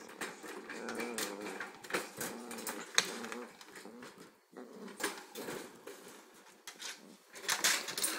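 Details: Two Corgis, one an 8-week-old pup and the other 6 months old, play in a small room. Drawn-out wavering growls rise and fall over several seconds, with rustling and clicking throughout.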